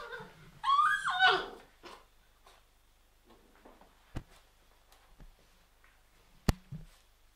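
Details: Labrador Retriever puppy from a litter of seven, with four still left, gives one loud wavering whine of under a second. Soft indoor rustling, snuffling and a few sharp clicks follow in a small room.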